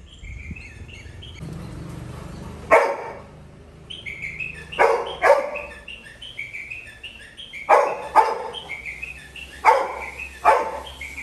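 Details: Little John, a Labrador Retriever puppy on a village terrace, watching his owner leave home and unable to contain himself. He gives sharp, loud barks in pairs and clusters separated by pauses, with small birds chirping steadily in the background.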